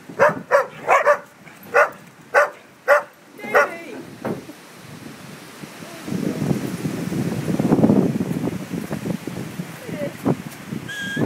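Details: Shay, a dog at Bridge of Dee, puts greyhounds in their place: about eight sharp barks come roughly every half second, then give way to scuffling and rustling noise.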